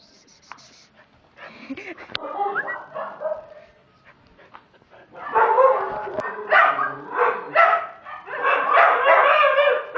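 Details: Border Collie mix dog at a humane society shelter in Cozumel, waiting for adoption, gives bursts of loud, harsh, rapid barking, quieter at first and then in dense repeated volleys, with a person's voice in the background.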